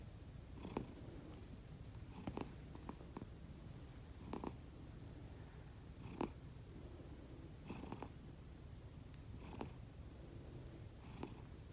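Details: Rescued house cat asleep indoors, one of the pair Konbu and Myun, giving a low purr-like snoring rumble throughout, punctuated by short raspy nasal snorts every couple of seconds.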